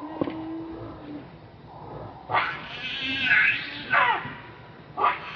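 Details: Hungry baby monkey named Leo pleading with its mother for milk. A brief thin whine is followed by a long, rasping, high scream and two shorter shrieks that rise and break off sharply.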